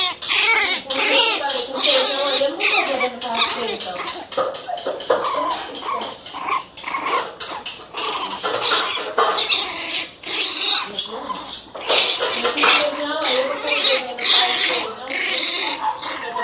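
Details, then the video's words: Pinscher puppies barking fiercely indoors: a dense run of sharp, high yappy barks, many in quick succession and overlapping, some whiny and drawn out, continuing for about sixteen seconds. "Filhotes de cachorro pinscher Bravinhos latindo cão bravo"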